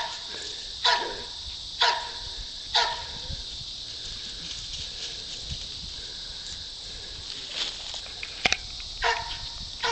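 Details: Herding goats, the Poodle JJ lets out three evenly spaced barks, falls quiet, then barks again near the end over a continuous airy hiss.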